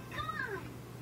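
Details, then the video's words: Talking cat voicing one short meow-like call, a harmonic tone that rises, then slides down over about half a second, heard faintly indoors over a steady low hum. "Talking cat"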